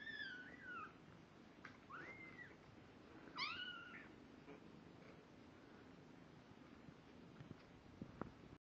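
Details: Kittens at two weeks old, eyes newly open and starting to walk, give a few thin, high mewing calls that sweep up and down in the first four seconds, then only faint room noise follows.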